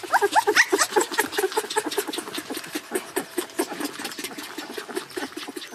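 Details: Crying puppy shut in a crate keeps up shrill, choppy yelping, loudest and sharpest in the first second, then steadier pulsing whimpers and squeals repeating nearly twice a second.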